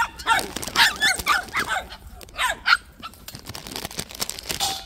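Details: White puppies at a plum orchard give a burst of high, quick yips and short barks over the first three seconds, then fall quieter; a person talks nearby.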